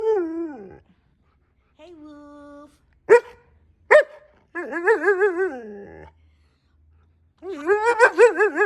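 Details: Husky 'talking' back while its owner chats about Halloween indoors: wavering, yodel-like howled phrases rising and falling in pitch, in several bursts separated by pauses, with two sharp clicks and soft background music.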